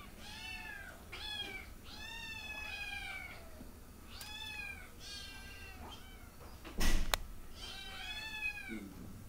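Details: Cat meowing repeatedly indoors, a series of clear, arched, slightly falling meows about a second apart, with a sharp thump partway through and quiet low background rumble.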